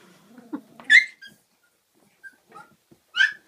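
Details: Kooikerhondje puppies, 34 days old, playing indoors in an activity room at a kennel in Sweden; a few short high whimpers and yips, one rising squeal near the start and another at the end, with quiet gaps between.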